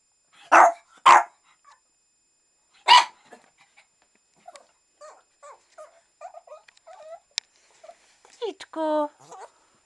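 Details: Shih Tzu Tofik, asked about going for a walk, barks twice in quick succession and once more, then a string of soft whines, yips and a short high whimper close the sequence.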